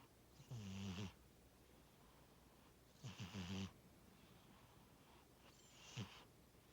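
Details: Pet cat Tora asleep and snoring, three breathy snores spaced about two and a half seconds apart, each a fluttering low rattle with an airy hiss, the last one short and soft.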